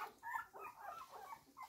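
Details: One-week-old blue roan cocker spaniel puppies, hungry, letting out short overlapping squeaky whimpers and wavering whines in a quick burst.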